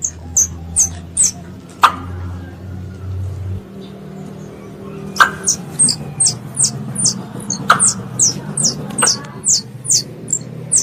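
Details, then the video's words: High, thin squeaks from a pest squirrel calling its mother, first sparse, then after a low hum fades becoming a quick steady series of shrill chirps, punctuated by a few sharp clicks. "THE SOUND OF A SQUIRREL CALLING ITS MOTHER"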